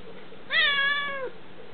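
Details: Indoor cat meowing to beg for seaweed, a single clear, prolonged mew that holds level and then sags downward as it fades, with nothing else audible around it.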